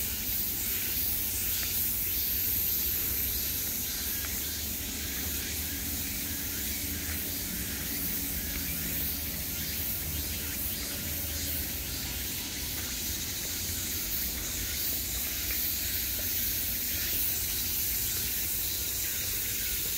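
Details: Steady shimmering wall of summer cicada buzz, high and hissing throughout, with subtle pulsing and a light low-pitched background hum.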